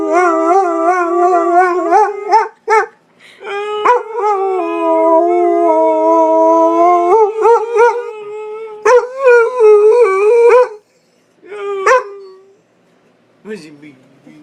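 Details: Pit Bull having a howling contest with a person, a run of long wavering howls broken by short yips, the voice wobbling up and down before fading into quieter, lower whines.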